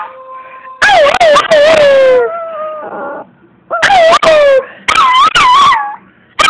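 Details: Minako, a puppy, howling for fun in April 2012: wavering tonal howls sliding downward, short broken yips and quavering notes in bursts, with a faint steady tone and a possible human voice in the background.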